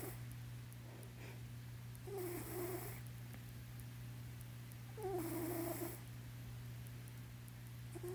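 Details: Blynken, a house cat dozing in a lap, produces two slow snoring breaths about three seconds apart, each a hoarse wheeze with a faint tonal edge, over a continuous low hum.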